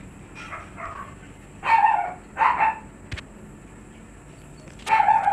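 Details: Stud Siberian Husky at a kennel producing drawn-out, slightly tonal yelps or whining barks, each lasting about half a second, two close together then one more after a pause, over a low steady hum.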